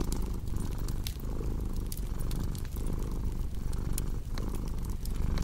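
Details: Low purring from a domestic cat over a crackling fireplace: rumbling pulses roughly once a second, each breath marked by a brief dip, with scattered sharp fire pops above.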